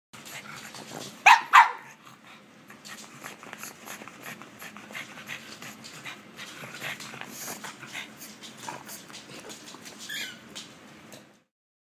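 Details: A female Wampug dog goes wild with excitement indoors when offered cookies; two sharp, loud barks near the start, then steady rapid snorting, panting and snuffling until the end.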